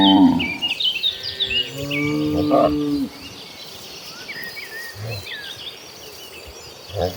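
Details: Herd of dozens of cattle heading to a green pasture: a long, low, drawn-out moo fills the first three seconds, followed by softer short grunts, with birds twittering and insects humming behind.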